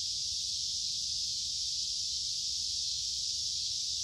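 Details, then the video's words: Summer cicada chorus: a continuous shrill, hissing buzz at high pitch, unvarying from start to finish, over a soft low background hum. "Cicada Sounds of Summer"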